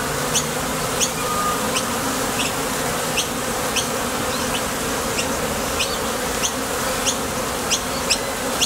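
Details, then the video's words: Bees leaving and landing at the entrance of a Top Bar Hive on nectar trips. An even, unbroken hum fills the recording, overlaid by faint high ticks at regular short intervals. "Bees Sound Effects"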